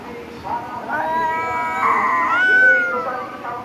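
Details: Domestic cat meowing: several short, tonal cries, then a longer call that rises and falls in an arch near the end. Faint background noise.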